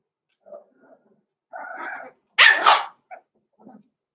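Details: Puppy pen with six-week-old Cavalier King Charles Spaniels, blenheim coloured: soft grunts and whines build to a sustained yappy bark and one sharp loud yelp, then faint whimpers.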